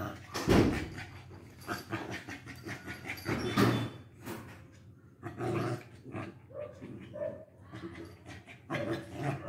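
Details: Two Lhasa Apso dogs, Bruno and Mars, fighting: harsh, rough growls and snarls come in dense bursts, loudest near the start and again around four and six seconds, with scuffling noise between them.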